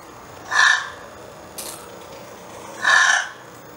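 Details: A gray fox met on a morning nature walk at Alpine Creek on 29 June 2017 gives two harsh, raspy yaps about two seconds apart.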